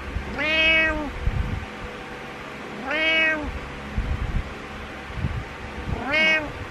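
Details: Three evenly spaced meows from Butters, a domestic cat making his morning meows indoors, each a bright arched call roughly every two and a half seconds, with low thumps and room hum between.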